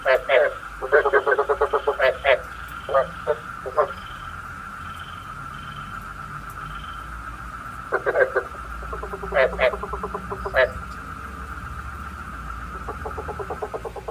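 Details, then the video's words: Frog lure call used for night trapping: bursts of rapid, rattling pulsed croaks in short trains separated by quiet gaps of several seconds, over a steady high background hum. "Tiếng ếch mồi chuẩn 99,99% cho ae bẫy đêm tham khảo"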